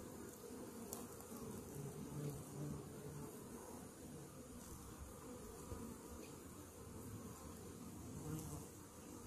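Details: Many honey bees droning inside a hive with a Varroa mite infestation, recorded after treatment; an unbroken low buzz rising and falling gently, with a sharp click near the start.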